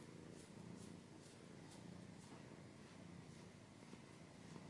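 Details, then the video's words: Domestic cat purring softly and steadily, a low, even rumble with faint periodic pulses and a light background hiss, from a recording also described as including scratching. "Cat's purring / scratching / kinda ASMR"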